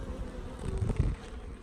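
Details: Packaged honey bees during installation, a few dead after shipping: a short, low droning buzz with a couple of dull thumps from handling.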